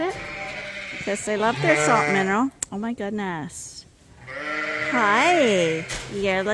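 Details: Mixed groups of Suffolk lambs running about a barn at Ewetopia Farms; quavering bleats that swoop up and down in pitch, a short quieter gap midway, then a long wavering call followed by another bleat.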